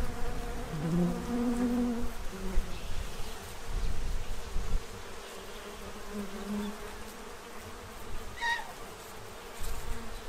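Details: Bees feeding to prepare for winter at a tray in Central Illinois. A close, droning buzz comes early, quieter humming continues after, and a short high chirp sounds late in the recording.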